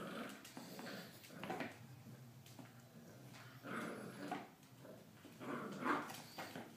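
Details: Three-month-old Staffordshire Bull Terrier–Miniature Australian Shepherd mix puppy, indoors while exercising, gives short low growls and brief whimpering bursts in a small room, several separate rough outbursts spread over the recording.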